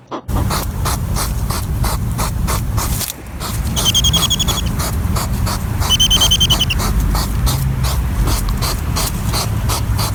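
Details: European hedgehog at night, foraging: rapid, repeated, almost mechanical sniffing puffs in a steady pulsing series throughout, with two brief high chirping bursts near the middle and a short quiet break early on.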